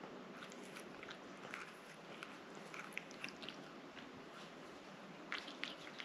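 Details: Licking and smacking as the cat Rang-i eats a liquid treat, soft sticky clicks scattered unevenly through a low background hiss.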